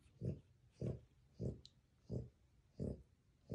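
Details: Two newborn French Bulldog puppy brothers making sleep noises indoors: low, soft snorting grunts, six in a row at roughly even half-second gaps, each short and muffled, with a faint background hiss.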